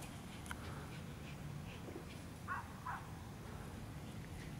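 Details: An 11-week-old Schipperke pup gives two quick, high-pitched yaps over a low background rumble.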